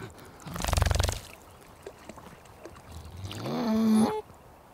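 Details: Beaver vocalising: a harsh, rapidly pulsed grunting burst, a quiet pause with soft rustles, then a rising, nasal whine with strong overtones that holds steady before cutting off; continuous low background hiss.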